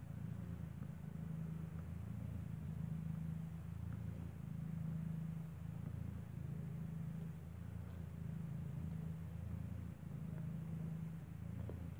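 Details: Low steady hum of traffic or engine noise with faint clicks, and no animal voices.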